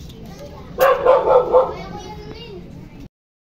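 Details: Kopi, a toy poodle kept for stud service in Quezon City, lets out a quick burst of three or four loud, yappy barks in the first half. A softer whine trails off before the sound cuts out.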